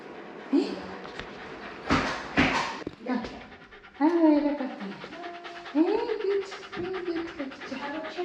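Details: Shiba Inu, a 4-year-3-month-old dog, screaming during its annual vaccination at a vet clinic in Rotterdam, Netherlands, 22 November 2023. Sharp noisy bursts, then high wavering whines that rise and fall, over human voices.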